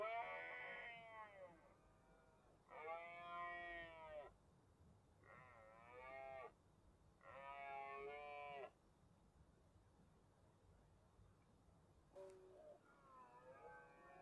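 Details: A red deer stag bellows during the autumn rut in the Cantabrian Mountains, Spain, in 2023, giving drawn-out moaning calls repeated with pauses between them.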